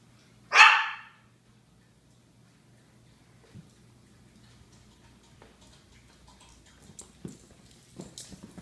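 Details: Japanese Chins barking: one sharp, loud bark near the start, followed by quiet room noise with faint small knocks and rustles.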